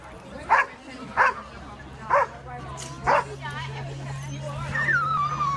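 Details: Whippet at a dock diving competition, its first practice jump, Triad Games, Clemmons, North Carolina, May 16, 2015; four sharp barks spaced about a second apart, then a steady low hum, a sliding whistle-like tone and people talking.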